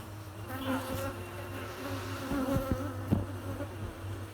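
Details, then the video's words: Buzzing honey bees, a continuous droning hum with wavering tones rising and falling as bees fly near, over a steady low-pitched background drone with a few short knocks. "buzzing or humming noise of bees"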